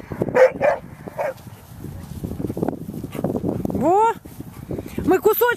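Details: Dogs at play in November 2013, a mix of Black Russian Terriers, a Chihuahua and a young terrier: Russian speech and movement first, then two bursts of high, rising, whiny yelps near the end, the second quick and repeated.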